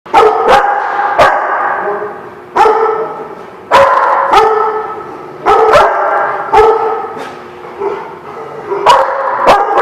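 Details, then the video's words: Dogs recorded on 2/11/17, sharp barks bursting out every second or so over a constant backdrop of overlapping whines and yelps, suggesting several dogs together in one noisy space. "The Barking Lot"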